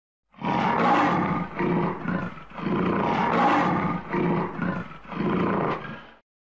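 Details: A lion gives a run of heavy, grating roars, roughly six seconds of rough pulses that rise and ease off in waves before ending abruptly.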